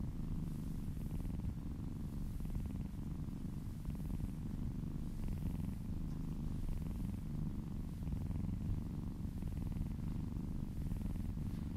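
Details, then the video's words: Purring cat receiving a massage, the low vibrating purr running unbroken and even, faint rhythmic swishes of stroking hands heard softly over the rumble. "Purring kittens ASMR"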